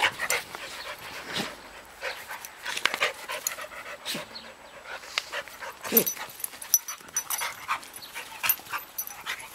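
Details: A ten-year-old beagle, Andy, with Tery, a nine-week-old ridgeback puppy; quick breathy panting runs through, broken by louder snuffling bursts near the start and middle, with faint voices in the background.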